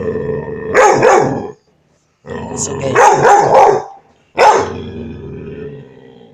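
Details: A five-month-old male puppy barking in three bouts: a harsh double bark, a cluster of three or four quick, raspy barks, then a single loud bark that fades away.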